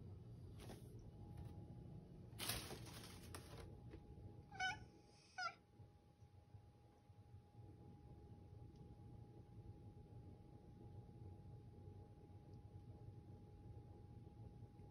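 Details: Affectionate pet cat named Toto meowing in a hoarse voice, desperately trying to communicate; a raspy breathy burst near three seconds, then two short harmonic meows close together around five seconds, over low steady hum and a faint tone.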